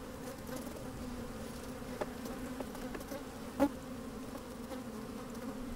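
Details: Busy honey bees in an open hive, sunny day, microphone lowered among the combs: an even low hum with steady overtones, punctuated by a few soft clicks and one sharp knock about two-thirds of the way through.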